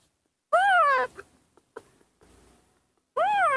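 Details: Baby monkey throwing a tantrum, not wanting to be hugged, while being cared for by hand and bottle-fed milk; two loud, shrill, arching wails, each about half a second, separated by softer faint sounds and quiet.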